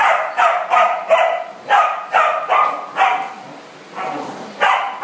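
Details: Dogs playing together in a big dog party room, barking in a quick, uneven string of loud, harsh barks, roughly two or three a second, with a short pause near the end before another bark.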